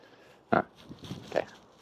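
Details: Aamu, a female Finnish Spitz, plays with a stick in an empty horse pen; two short, harsh, bark-like bursts, the first louder, about a second apart, with faint rustling between them.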